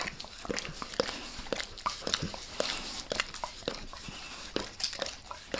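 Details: Dog named Max licking a person's face, heard as rapid moist tongue clicks and smacks repeating irregularly, with a faint hiss between strokes and no speech.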